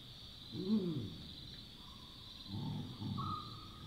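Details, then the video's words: Night in the African bush with a Chacma baboon giving one arched bark, followed after a pause by two soft, low grunting bursts. A continuous shrill insect chorus runs throughout. "Baboon Sounds & Calls - Wild barks and grunts of Chacma Baboons"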